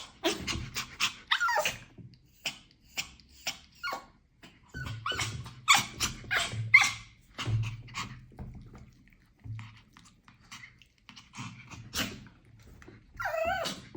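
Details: Pomeranian letting out a quick, irregular run of short, sharp, high yaps, some clustered in rapid bursts and others spaced by brief pauses, over a faint low hum in the background.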